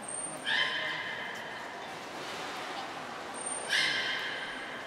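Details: Belugas training at Nagoya Port Aquarium on 16 March 2024, all animals participating. Twice a short high pure tone is followed at once by a brief, bright harmonic call, about three seconds apart, over a steady background hiss.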